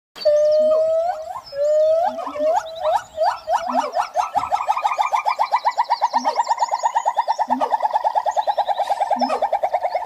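A siamang gives loud rising whoops that speed up into a rapid, pulsing series of barking notes.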